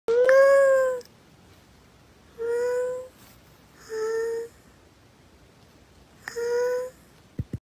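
A kitten gives four clear, high meows, each a steady tonal cry under a second long.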